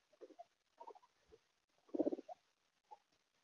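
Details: A full house of guinea pigs, watched day and night, gives short pulsed, low rumbling bursts: a few soft ones, then a louder rapid chattering run near the middle, then one last brief burst. Quiet indoor background.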